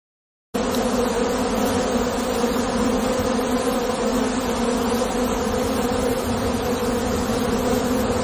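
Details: Honey bees inside their hive: after a brief silent start, a dense, steady droning hum with a low, even, unbroken tone holds for the rest of the recording, and no other sounds stand out.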